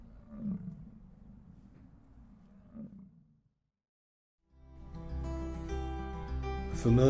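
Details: American bison (Bison bison) in Yellowstone National Park: a deep, rumbling bellow lasting about three seconds with two louder surges, then a pause.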